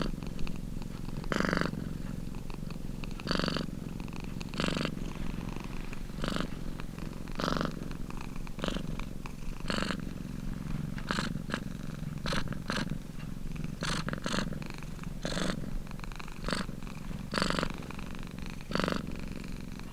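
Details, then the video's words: Domestic cat purring: a steady low rumble broken by louder breathy surges that repeat roughly every one to two seconds, continuous throughout. "CAT PURRING"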